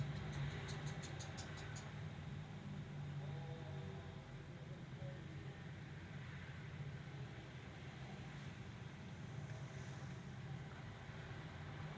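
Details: Low, continuous vehicle rumble with faint ticking at the start and no animal voice.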